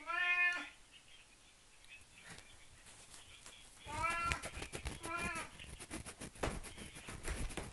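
A Siamese cat gives several loud, drawn-out meows over soft rustling.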